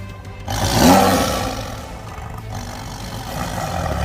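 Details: A tiger gives a deep, rough roar that swells quickly and fades into a low rumble.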